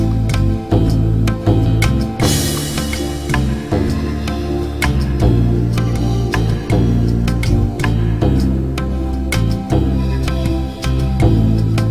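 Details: Loud instrumental music with a steady beat and sustained chords, with no animal voice heard.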